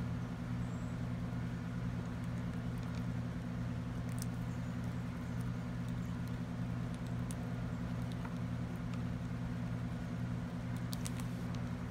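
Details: Steady low engine drone, like an idling vehicle, fills the whole stretch, with a few faint scattered ticks and pattering clicks above it.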